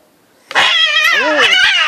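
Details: A female cat picking a fight with an intact ginger tomcat lets out a sudden loud, high, wavering yowl with rising and falling bends, harsh and drawn out, indoors.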